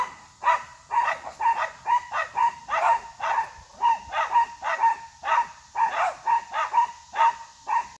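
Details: Three dogs bark at an unfazed deer, producing a steady run of quick, mid-pitched barks, roughly two per second, occasionally overlapping, over constant background hiss.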